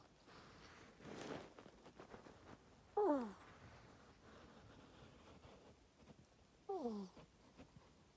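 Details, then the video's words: Sleeping female pet ferret with an ear tumor, caged in an owner's room; two brief high whimpers falling steeply in pitch, about four seconds apart, with a soft rustle beforehand and an otherwise quiet indoor background. "compilation of my ferret snoring"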